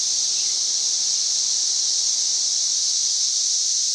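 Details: Cicada buzzing at a reading above 90 decibels on May 31, 2024: an intense, constant high-pitched whine with no rhythm or breaks, filling every second of the short stretch.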